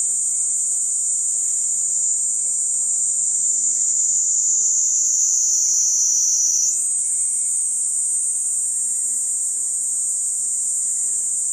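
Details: Cicada producing a continuous shrill drone that sags gradually in pitch, then jumps back up abruptly about two-thirds through and stays steady; quiet low background noise only.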